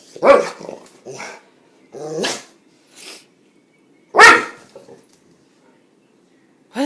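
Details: Pet dog Kramer, prone to sneezing fits brought on by his own barking, lets out loud, abrupt barks spaced about two seconds apart. Softer snorting bursts fall between them, and a person speaks briefly nearby.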